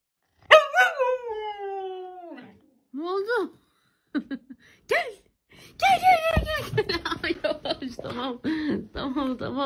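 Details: Siberian Husky 'talking' indoors: a long, drawn-out falling whine-howl, then short rising yelps, then overlapping chatter while a person speaks Turkish nearby.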